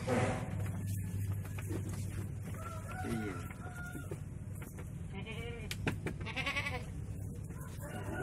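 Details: Super jumbo Merino sheep with thick, soft wool; short quavering, wavering bleats rise out of a constant low rumble around the middle and later part, with faint voices and other farm noises behind.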